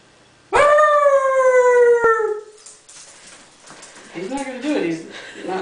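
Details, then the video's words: Pet Dachshund howling in a home howling contest: one loud, clear howl lasting about two seconds with slowly falling pitch, followed by quieter human voices and murmuring. "Daschund Howling Contest"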